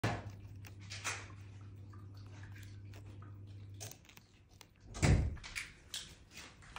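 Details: Dull thumps and a door-like knock in a small room over a steady low hum, with no animal voice heard.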